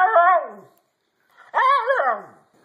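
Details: Pet dog 'trying to say hello' with two wavering, howl-like vocal cries: the first sliding downward, the second after a short pause rising sharply, wobbling, then falling away. Voices are heard just before and after.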